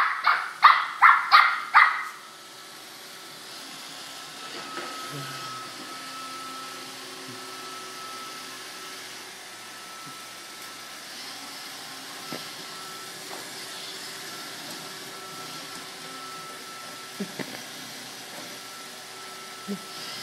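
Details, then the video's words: A corgi barking at a roomba: five sharp, loud barks fired in rapid succession over the first two seconds, then quiet except for the steady hum of the robot vacuum and a few faint clicks and knocks. "corgi vs roomba"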